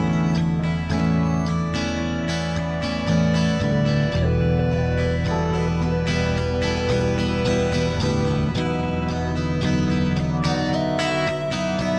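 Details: Plucked acoustic guitar music plays loudly and steadily throughout, with no animal sound.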